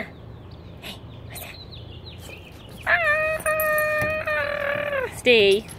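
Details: During his daily greeting in a 1989 Jeep Wrangler YJ, Elyot, a rescued Aussie shepherd mix, holds a long, even, nasal tone for about two seconds. A sharp falling yelp follows, after quiet rustling and clicks.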